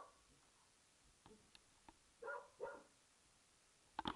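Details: English Springer Spaniel named Archie, a self-described coward, barks at an old tennis ball in a back garden; two short husky barks close together, then a sharp clattering knock near the end.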